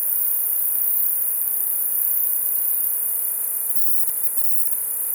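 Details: Northern hump-winged grig making a loud sound: a continuous, very high, shrill buzzing trill held steadily without breaks, with only faint low rumble beneath.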